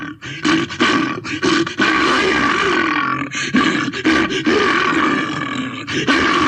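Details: Throaty bear roars follow one another almost without pause, coarse and grunting, with a few quick breaths or gaps between the long loud bursts.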